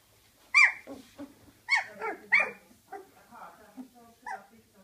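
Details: Gryzia's small puppies give high, whining yelps that slide downward in pitch, three louder cries in the first two and a half seconds followed by softer squeaks and short whimpers, with one last brief yelp near the end.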